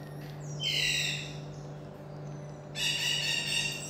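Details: Pet common marmoset, a tiny monkey, making two high-pitched harmonic calls: the first drops sharply then levels into a strained tone, and the second is a longer shrill squeal, with a constant low hum behind.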